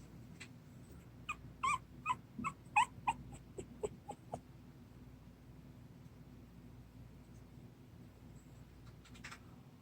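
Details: Sleepy 26-day-old puppy giving a quick run of soft, high squeaky whimpers over about three seconds, then near silence over a steady low background hum.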